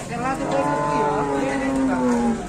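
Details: Lowing of a cow at Setia Farm, Indonesia, as it leaves the pen, an animal likened to Wariso: one long steady low moo, slowly sinking in pitch over about two seconds, with faint voices behind.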